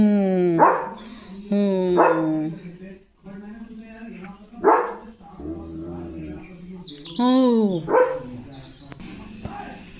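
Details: German Shepherd dog barking during evening guard duty at the gate, running to its owner as if announcing another dog outside; loud harmonic barks near 1, 2, 4.7 and 7.3 seconds, with a man speaking Marathi between them.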